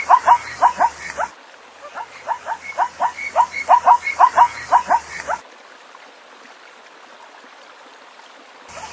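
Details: Zebra barking in two runs of quick, squealing yelps, about two per second, followed by several seconds of near quiet with only a low hiss.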